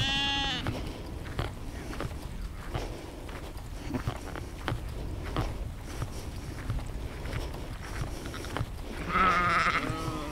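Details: Sheep in a natural outdoor setting, recorded with a Zoom H2n for immersive spatial sound: a bleat at the beginning, irregular soft clicking and rustling throughout, and a louder wavering bleat near the end.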